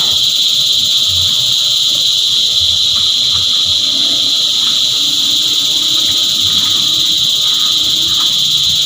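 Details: Cicada choir: a loud, unbroken high-pitched drone holds steady throughout, with faint ticking notes scattered underneath.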